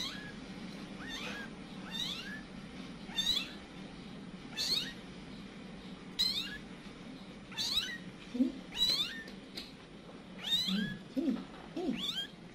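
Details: Mother cat Kitty panics as her kittens scatter, a village cat family: a quick run of a dozen high, sharply rising-then-falling meows, about one per second, a few lower rougher calls near the end, low hum behind.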